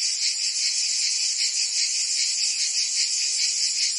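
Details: Summer chorus of cicadas in Provence, France, a harsh unbroken high-pitched drone with slight wavering, many insects blending together and nothing else audible.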